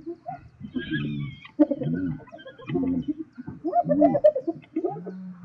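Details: Spotted hyena squabbling with lions over food in Zambia's South Luangwa National Park: repeated harsh, harmonic cackling grunts come roughly once a second, ending in a steady low moan.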